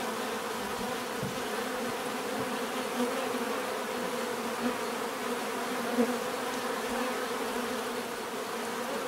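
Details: Bees humming as a steady collective drone, occasional single bees flying close and giving short louder buzzes, such as near the sixth second, against an even background hiss.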